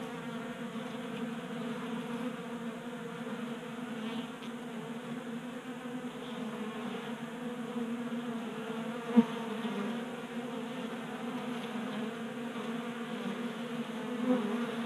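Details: Honey bees at a garage workbench feeder in Colorado, active in unseasonal January heat; a steady layered hum of many wings, with a sharp click near the middle and a soft tap toward the end.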